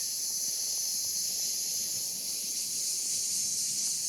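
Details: Cicada chorus heard as an unbroken, very high sizzling whine, perfectly steady throughout with nothing else standing out.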